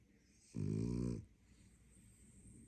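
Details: Sleeping French Bulldog snoring: one deep, rattling, buzzy inhaled snore lasting under a second, then quiet breathing and faint room hiss.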